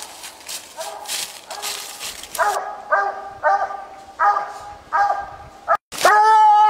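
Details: Walker coonhound on a night coon hunt, baying: a run of drawn-out, ringing bawls repeated roughly every 0.7 seconds, each with a bright harmonic tone, ending in a louder, longer held howl.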